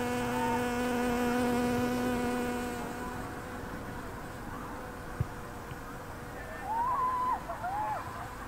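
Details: A very loud bee recorded 10 September 2020. Its low, even drone continues for about three seconds, then fades away, leaving quieter background with a few faint chirping sounds near the end.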